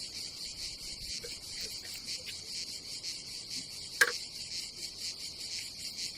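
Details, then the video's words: Summer cicada chorus at an Adriatic campsite in Croatia, a continuous high shrill buzz with a single sharp knock near the middle. "nature cicadas sound"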